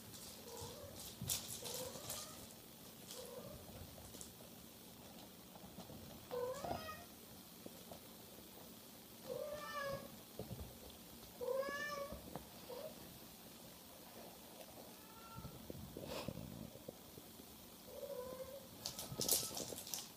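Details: Bengal kittens in a cattery giving repeated short meows, mostly rising then falling, scattered over twenty seconds with several callers overlapping, alongside clicks, rustling and background household noise.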